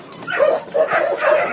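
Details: Anjing kampung, the Indonesian village dog, at a big Indonesian breeding farm with many caged dogs and puppies; three high, clipped yips spaced about half a second apart, the middle one slightly shorter.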